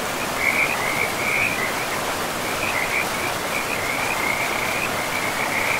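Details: Beside a forest river among moss-covered ground, frogs give high, rattling trills in short bursts with brief gaps, some louder and closer, set against a constant hiss of running water.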